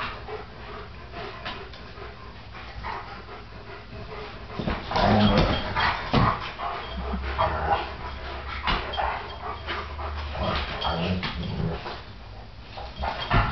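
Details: Great Danes Nick and Rylee at play on a couch, giving low rumbling growls and panting huffs that swell midway through, mixed with rustling and bumping as the two dogs wrestle.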